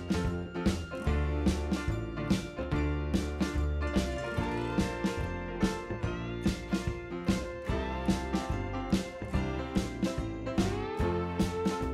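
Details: Cheerful plucked-string music with a steady rhythmic pulse throughout; no animal voice is heard.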